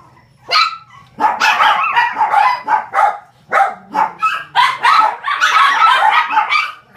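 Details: A 43-day-old male white-and-gold Shih Tzu puppy, a calm and affectionate one at a breeder in Osaka, gives a quick run of high, squeaky yips and whimpers.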